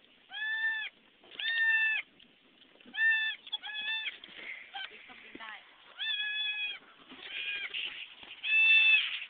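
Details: Newborn goat kids just delivered by a nanny goat on a farm: a rapid series of about nine thin, quavering bleats, some paired, spaced roughly one second apart, with faint clicks and shuffling between them.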